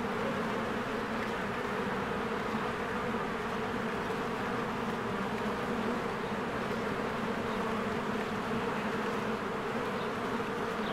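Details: Honeybees busy at the hive entrance in springtime produce a steady mass buzz, unchanging in loudness, with barely any other sound beyond a faint bird note near the end.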